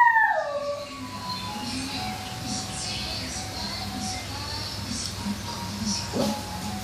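A Toy Poodle howls, a falling, wavering tone that dips, then holds steady over background music.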